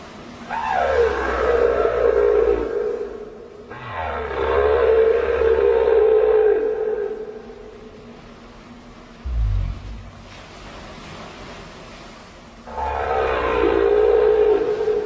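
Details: Southern right whale: loud, rough calls lasting about three seconds each. Each one starts high and slides down into a lower, steady moaning tone. Three calls are separated by pauses, with a low steady hum throughout.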